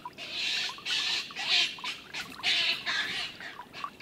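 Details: Young stone marten Martin being beaten up by the older, larger marten Milton, livestream 21-04-18: a string of rough, noisy screeches in short blasts, some squeakier, separated by brief gaps.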